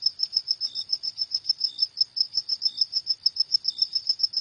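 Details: A cricket calls after dark with a brisk series of bright, high, pulsing chirps, evenly timed at about four per second, joined now and then by a quieter lower chirp from another cricket.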